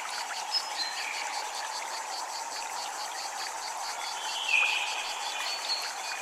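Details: Cicadas in a Japanese temple ambience: a steady high pulsing buzz, beating about five times a second and never stopping, over a constant rushing wash like flowing water, with a few faint short chirps.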